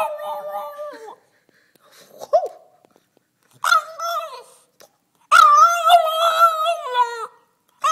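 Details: Two-year-old French Bulldog 'singing' calmly in conversation: a wavering tonal whine, a short yip, then two longer howled phrases with strong harmonics and wobbling pitch, the last one loudest and falling away at the end.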